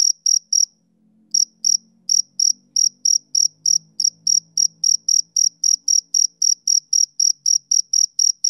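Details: Summer-evening chirping of a male cricket: a brief silence after the first few chirps, then quick, even high pulses roughly four per second, over a faint low rumble in the background.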